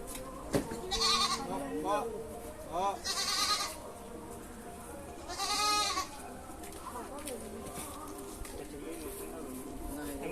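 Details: Young goat kid crying after a deworming injection, giving several short wavering bleats about two seconds apart, with people talking in the background.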